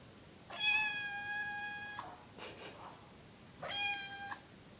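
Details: A young kitten indoors at night, begging to be let outside: two long, flat, steady meows, each under a second, about three seconds apart, with faint shuffling between them.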